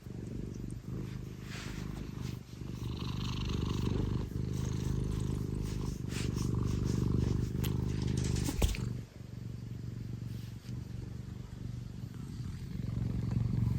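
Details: Affectionate Scottish Fold domestic cat purring loudly at full throttle: a steady, deep rumbling purr with rhythmic pulses, fairly even throughout, with a brief soft thump near the middle and faint household background.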